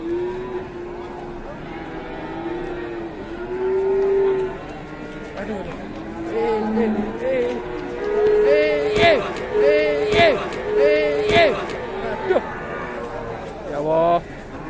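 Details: Fierce cow, so aggressive it tumbles over and no buyer dares purchase it, gives drawn-out harmonic lowing across several seconds, with sharp clattering knocks and background noise in the middle stretch.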